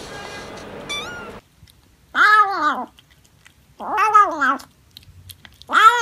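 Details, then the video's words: Domestic cat meowing: after a short noisy lead-in with a brief high squeak, three long clear meows with strong harmonics, each arching up then falling, spaced about two seconds apart. "Funny Cats and Kittens Meowing Compilation October 2020 😺💗 Noisy Cats and Kittens Meow"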